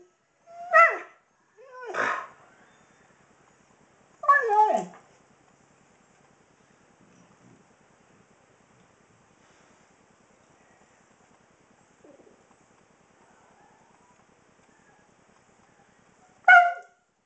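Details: Kobi, an old Husky of 16, performs his evening routine just before dinner: three wavering, talky howls in quick succession, then a long quiet stretch with faint background noise before one last loud yelp near the end.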